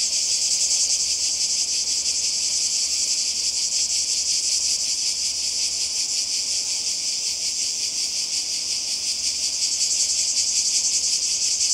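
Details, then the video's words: Seaside cicadas in Croatia, 2020, fill the air with a continuous high, hissing drone that throbs slightly several times a second and never pauses; no waves, voices or other animals stand out. "Kroatien Zikaden und Meer"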